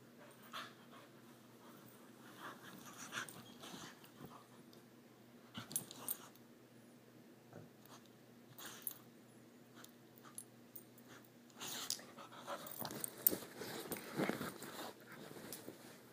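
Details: At bedtime the puppy Hominy, a female pet with leftover energy, makes irregular snorting, wheezy breaths and scuffling indoors. The sounds come in scattered bursts and grow busier and louder toward the end, over a quiet room hush.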